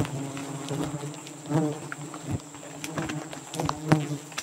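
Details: Giant honey bee colony at a nest in the rainy season in Borneo, a steady low droning hum with layered tones, broken by sharp clicks and short louder surges of buzzing around the middle and near the end.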